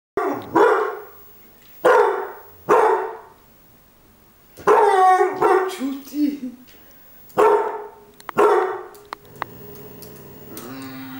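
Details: A Beagle barking: loud, harsh single barks come in irregular bursts, some paired and some spaced a second or two apart. A brief whiny, tonal sound follows the middle barks, and a faint steady hum closes the recording.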